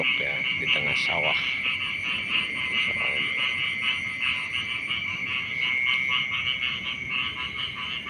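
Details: Morning frog chorus at the edge of rice fields, fast throbbing pulses running continuously under a thin constant tone, with a few lower harmonic calls in the first three seconds.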